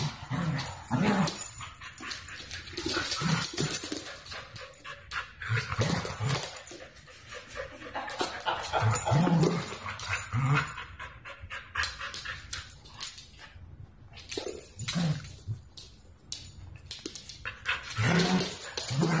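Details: Pet Siberian Husky puppies giving bursts of whines, whimpers and small barks in irregular runs, with a person's voice now and then and indoor clatter.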